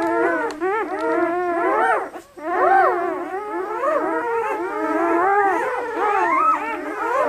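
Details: German Shepherd pups just 48 hours old, lively, red and black, bred at Seelenvoll German Shepherds of New England, Maine; a dense chorus of high, bending cries and squeaky whines, with one short dip in the middle.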